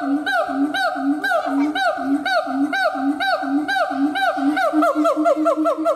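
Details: Siamang (Symphalangus syndactylus), howl.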